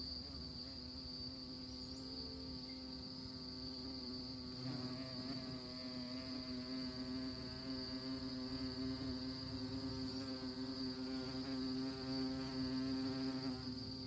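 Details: Honey bees visiting orchid flowers give a continuous humming buzz, its pitch wavering slightly and growing louder in the second half, with a steady high whine in the background.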